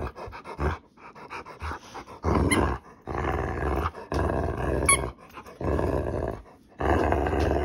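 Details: Indoors, a pet female Rottweiler in a grumpy, playful mood over a toy gives a run of harsh, rumbling growls lasting one to two seconds each, broken by short breaths and quiet gaps.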